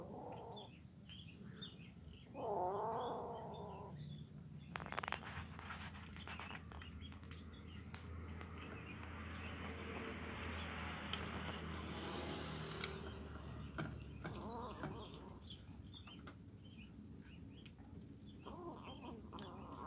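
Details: Kitten eating fish bones, recorded Wednesday 17 July 2019 on Jalan Kolonel Sugiono, Kuala Kapuas, Central Kalimantan, Indonesia; one short arched mew rises and falls early on, followed by a long stretch of steady broad background noise.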